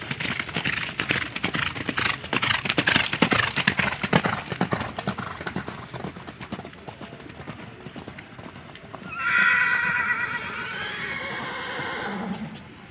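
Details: Horses at Gelanggang H.M Hasan Gayo, Takengon, Aceh Tengah, Indonesia, ahead of the 2023 traditional Gayo horse race: quick hoofbeats clatter for about eight seconds, then a loud, quavering whinny lasts nearly three seconds and fades into a low snort.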